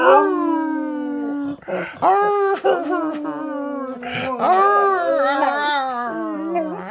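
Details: Dog singing with a long flat howl, a brief break, then swooping higher notes that waver and slowly sink in pitch toward the end.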